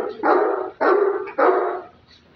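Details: Great Dane (Canis familiaris), bark: guarding during attack and guard training.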